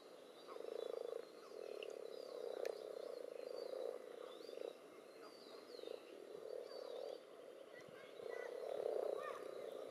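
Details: Common toads mixed with various frog species jostling in a garden pond during spawning, with spawn clumps and strings present; a dense, low purring chorus swells and fades in waves, with faint high bird chirps above.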